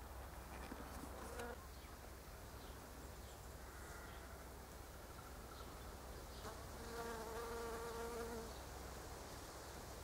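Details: Bees among pink Japanese quince (japonica) flowers in daytime: a brief soft buzz near the start, then a clearer steady humming drone swells for about a second and a half before fading into a low outdoor background rumble.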